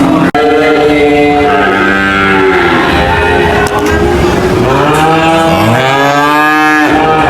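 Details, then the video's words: Cow mooing in long, deep, drawn-out calls, a steady low moo rising and falling at the end, with a second moo swelling upward near the close and constant background noise throughout. "cow mooing sound"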